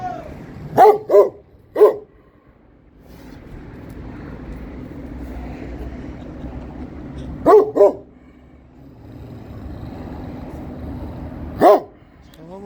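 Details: Kangal dog guarding its area in Turkey, barking in short groups: two quick barks and a third near the start, a double bark midway, one more at the end, with low engine-like rumble between.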